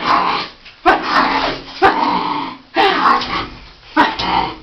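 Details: A female miniature pinscher named Roison fighting bath bubbles, which she hates, attacks and tries to eat; four harsh, growly barks come roughly every second, each trailing into a rough rumbling snarl, with faint water sounds.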